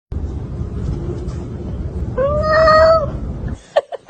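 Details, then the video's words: Domestic cat in a compilation of funny cat sounds: a single rising then level meow, tonal with clear harmonics, lasting about a second, over low rumbling background noise, then a few short clicks. "12 Funny cats sounds"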